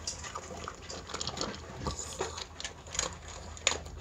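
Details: Miniature Pinscher eating dog food as a meal, crunching kibble in irregular sharp clicks and crackles, with quiet chewing between bites.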